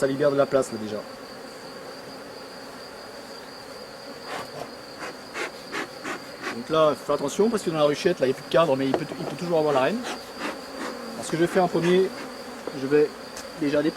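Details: Honey bees of a drone-laying colony being rescued; dense, overlapping buzzing with pitch sliding up and down as individuals pass close, nearly continuous after the fourth second, above a quiet constant hum and a faint high tone.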